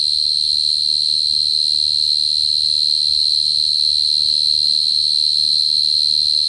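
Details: Bait cricket (dế cơm) singing an unbroken, piercing trill at a constant high pitch throughout, over a soft low background hum.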